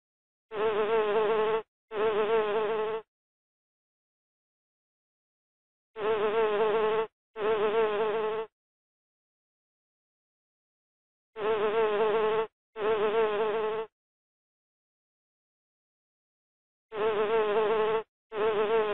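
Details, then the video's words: Buzzing of a bee, heard as paired one-second hums that return roughly every five seconds with silence in between, each a steady droning tone with slightly wavering overtones. "tiếng kêu của con ong"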